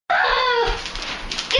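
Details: A Boxer dog fighting with another dog over a stuffed bear toy. It gives a single high, tense whining cry that slides downward and fades, with a brief scuffle noise at the end.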